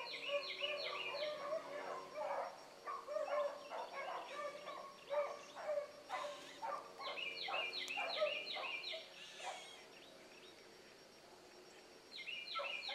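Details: Pups Ringo, Mingo, Choco, Boone and Dino running a rabbit in the morning, baying like seasoned hounds. Rapid, irregular barks and chop cries come about two a second, then fade to near quiet before one final burst.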